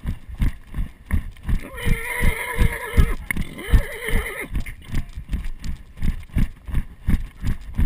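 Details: Arabian horse under a rider in Sicily, filmed with a GoPro Hero 2: steady low hoofbeats thud throughout, about two to three per second, while a long quavering whinny wavers through the middle, briefly breaking and resuming before fading.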